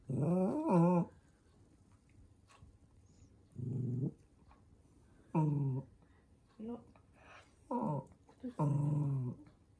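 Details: Toy poodle Minato, the household's eldest, grumbling indoors as socks are pulled onto his paws: several separate harmonic growl-whines, some wavering, broken by quiet gaps and a person talking gently nearby.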